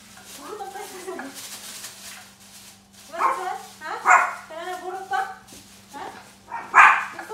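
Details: Shih Tzu puppies playing with balloons indoors give short, high yapping barks and whiny yips in uneven bursts, loudest near the middle and end, with a steady low electrical hum underneath.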